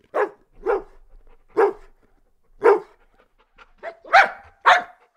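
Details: Golden Retriever (Canis lupus familiaris) barking: a run of deep, throaty barks, some single and some in quick pairs.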